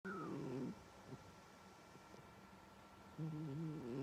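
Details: Domestic cat snoring very loudly in its sleep; a low, throaty, wavering snore at the start and again near the end, with a brief falling whistle at the outset and a quiet gap between breaths.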